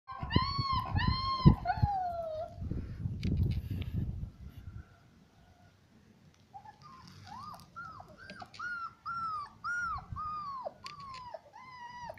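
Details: Bucovina Shepherd Dog whining: high, tonal whimpers that bend downward, a quick pair at the start, then a steady run of about eight short rising-and-falling whines, with low rumbling handling noise and a quiet pause between.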